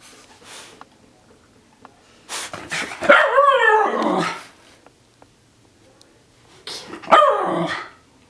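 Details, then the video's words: Mikah the Miniature Schnauzer barking during his routine post-bath drying freakout indoors: two bursts of strained, harmonic yelping barks with growly edges, separated by quiet, with faint voices nearby. "Miniature Schnauzer Bath Freakout"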